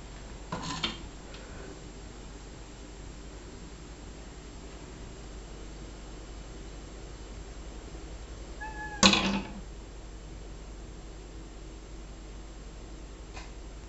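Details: Male pet cat talking and communicating, giving two brief vocal bursts: a short one near the start and a louder, harmonic-rich call about nine seconds in, separated by quiet room hiss.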